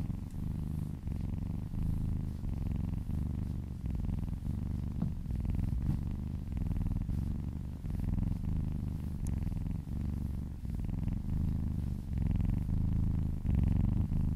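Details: A cat purrs contentedly during a relaxing massage, a deep continuous rumble pulsing in regular breath cycles roughly every half to three-quarters of a second, with faint rubbing sounds and a quiet room.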